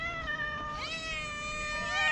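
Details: Hungry feral cats on a sidewalk meowing loudly for food; long drawn-out harmonic meows overlapping, one voice sliding up while another holds a steady tone, continuing without a break.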